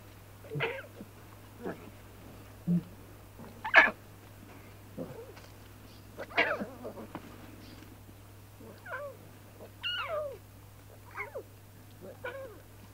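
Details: Playful young lion cubs frolicking and bonding in the wild: scattered short squeaky mews and chirps at irregular intervals, some rising and falling, over a steady low hum.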